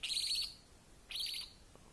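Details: Orphaned female baby grey-headed flying-fox, found on the ground beside a road on her dead mother, giving two shrill, high squeaky calls with rapid trilled pulses, each about half a second, separated by a pause.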